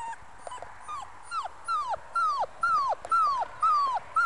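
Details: A five-week-old Muscle Mastiff pup, a future breeding prospect, gives high, drawn-out whines that arch up and slide downward, repeated about twice a second and growing louder through the clip.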